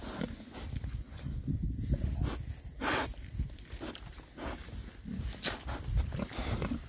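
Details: Rare breed Oxford Sandy and Black pigs, six boars, foraging outdoors in winter between storms; low snuffling grunts and snorts with rustling and footsteps through the ground cover.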